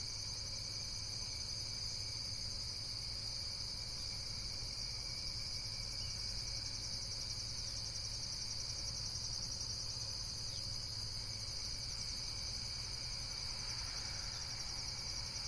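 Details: Insects chirping in a dense, unbroken chorus, high shimmering trills layered in bands, with a steady low hum beneath and a faint brief rise of noise near the end.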